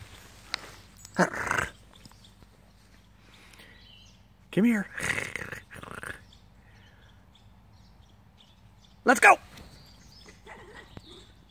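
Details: In a back yard during fetch play with a toy, a Schipperke gives a few short, sharp barks in separate bursts, with a person talking between them.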